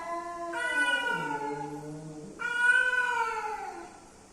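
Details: Two loud, drawn-out yowls from male and female cats coming together. The first slides downward into a low moan, and the second starts high and falls gradually.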